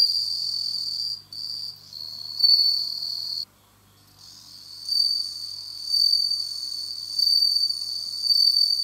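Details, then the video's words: Autumn song of a kept bell cricket: high, bell-like ringing trill interrupted by brief gaps and a near-silent pause, then resuming with rhythmic loud swells. "鳴いた！飼育している鈴虫の鳴き声 / bell ringing cricket"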